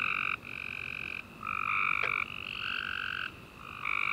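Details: Tree frogs in a nighttime chorus after a rainy summer day, several steady trills of about a second each overlapping and alternating with only short breaks between them.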